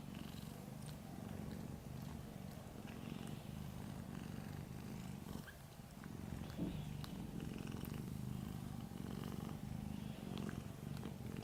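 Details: Little orange domestic cat purring while asleep: a steady low rumbling drone, continuous for the whole stretch with only a brief dip midway, a few faint clicks above.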